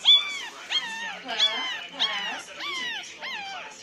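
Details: Crying Pomeranian puppies at nine days old: six evenly spaced whimpers, each a short upward-then-downward arched squeak, coming roughly every two-thirds of a second.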